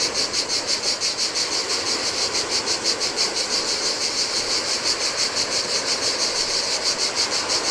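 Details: Heat-loving cicadas buzzing in chorus at a lonely Greek island beach on the Adriatic sea, their high metallic song swelling in regular pulses near three per second while low surf murmurs behind.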